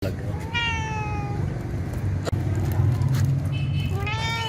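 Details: Domestic cat meowing: two drawn-out, slightly falling nasal meows about a second long, the second rising then dipping near the end, over a steady low rumbling background.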